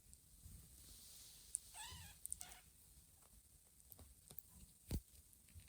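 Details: Newly woken kittens, huddled together for warmth, give loud insistent meows calling for their mother: a faint harmonic mew rising and falling near the two-second mark, then a shorter second cry, over quiet room hiss with soft clicks and a thump.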